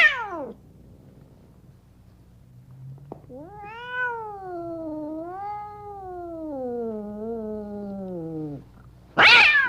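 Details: One of two angry cats in cages: a brief falling screech, then a long wavering yowl lasting about five seconds, rising and dipping before sliding down, ending in another sharp screech.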